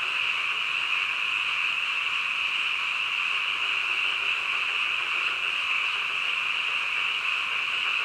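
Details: Frogs croaking in the middle of the night: a dense chorus of many overlapping callers merges into one steady, high-pitched, shimmering drone that never breaks or fades.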